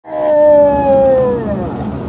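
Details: Badger, a female basset hound, howling on cue to sing the blues: one loud sustained mournful howl, steady then sliding gently downward over about two seconds.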